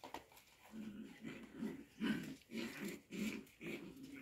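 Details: Show Cocker Spaniel puppies during play time, giving low rumbling growls in a steady rhythm, about six grumbling bursts roughly every half second, with light scuffling in the background.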